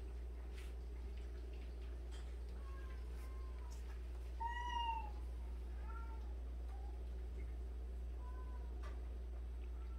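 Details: Cat from a home of 76 cats, meowing several times over ten seconds: short, soft, slightly arching mews, with one louder, clearer meow near the middle, over steady low hum and room noise.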